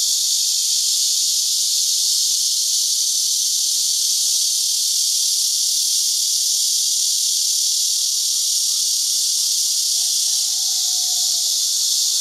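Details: Cicadas in trees of a Tainan farm ranch in Houbi District sing en masse during their season, filmed with a digital camera: continuous high, sizzling drone throughout, with a brief faint whistled note rising near the end.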